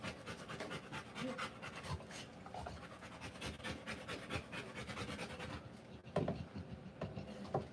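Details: Rottweiler giving birth to puppies, panting rapidly in steady broadband bursts of breath, several per second, with a few faint tonal sounds near the end.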